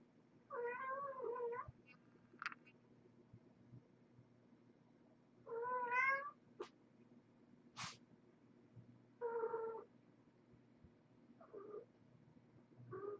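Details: Kittens Moe, Kang and Maggie indoors around their mother Marge, a former pregnant stray, while Moe tries to nap; drawn-out harmonic meows spaced several seconds apart, then shorter clipped meows near the end, over a faint steady hum.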